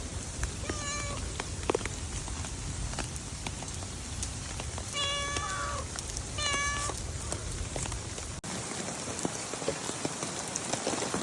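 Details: Stray cats on a rainy day: several short, clear meows with tonal overtones, one near the first second and a cluster between five and seven seconds, over a steady hiss of falling rain.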